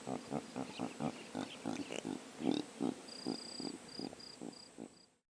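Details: Impalas recorded in sub-Saharan Africa with a drop rig and Sony PCM A10 give a steady chain of low, rough grunts, about two or three per second. A thin, high, repeated tone sounds faintly in the background near the end.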